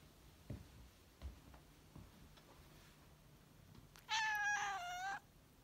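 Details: A Russian Blue cat, just woken from a nap, gives one drawn-out, squeaky meow that slides slightly downward while yawning, after a few soft thumps.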